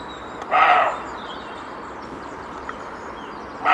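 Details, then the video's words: Wild male roe deer barking in Spain after a faint noise behind him warned of an intruder in his territory: one harsh, short bark over a steady outdoor hiss, with a second bark starting at the very end. "Corzo ladrando"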